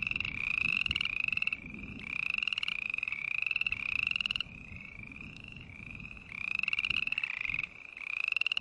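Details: Green tree frog calling in overlapping bouts: buzzy, rapidly pulsed trills, each rising slightly in pitch and lasting under a second, repeated almost without pause over a faint low rumble.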